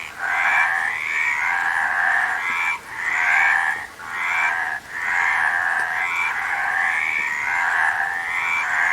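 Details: Massed frogs croak in rattling trills, the chorus coming in surges about a second long with brief dropouts between, several callers overlapping throughout.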